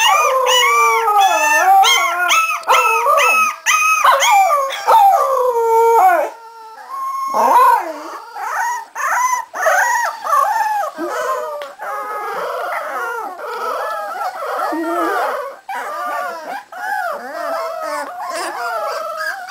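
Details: A litter of 3.5-week-old Cardigan Welsh Corgi puppies from Sweden howls at length: loud layered wails at first, then a busier stretch of shorter yips and wavering whines continuing throughout.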